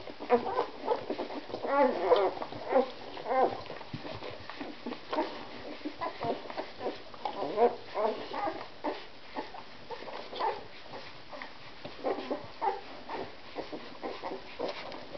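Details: One-week-old Siberian Husky puppies of a second litter whimper and squeak in short, high, overlapping bursts.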